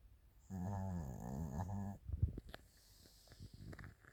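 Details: Chiroru, a female Maltese × Shih Tzu cross born 22 July 2017, snoring while asleep indoors: one long, low, buzzing, harmonic snore of about a second and a half, followed by soft rustling and small clicks.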